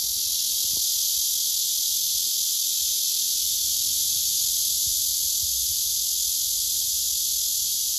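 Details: Steady, shrill, hiss-like courtship song of a male blackish cicada singing to an indifferent female, with a couple of faint low clicks in the background.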